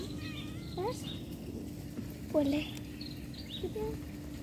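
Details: Cat calling out during separation from its owner, giving short upward-sliding meows, one louder and clearer in the middle, over a constant low electrical hum and faint voices.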